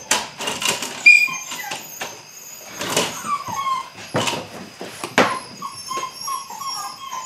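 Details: Young Belgian Malinois puppies, eight weeks, during early bite work: a run of short squeaky whines, quickening toward the end, between sharp bursts of handling noise.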